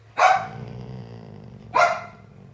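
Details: An older female Golden Retriever talks back to her owner with two sharp single woofs, about one and a half seconds apart, with a faint low murmur between them.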